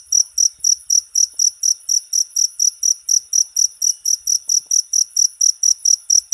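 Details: Cricket chirping, a recording intended for teaching songbirds; bright, high buzzy pulses repeated a little more than twice a second in a regular rhythm, nothing else audible.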